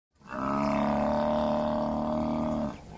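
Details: A buffalo giving one long, steady, low bellow of about two and a half seconds, droning and rich, cutting off abruptly at the end.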